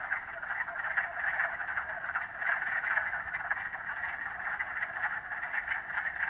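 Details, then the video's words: Many frogs croaking together in an unbroken chorus, a busy rasping drone with faint rhythmic pulses running through it from start to finish. "The sound of Frogs"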